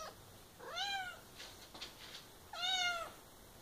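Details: Two rising-then-falling meows from Ginger, a domestic cat who insists on drinking from one particular faucet, spaced about two seconds apart in a quiet room, with faint tapping and rustling in between.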